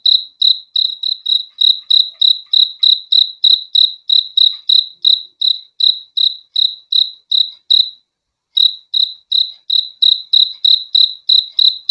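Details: Rhythmic cricket chirping in a sleep-sound recording: sharp high pulses about three per second, a clear break near the eighth second, then the same steady beat resumes; nothing else audible.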